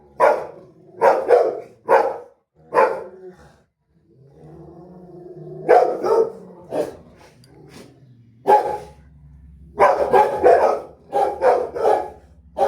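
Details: Rottweiler barking on seeing a street dog: loud, harsh barks in quick bursts of two to four, with a low rumbling growl in a quieter stretch midway before more rapid barking resumes.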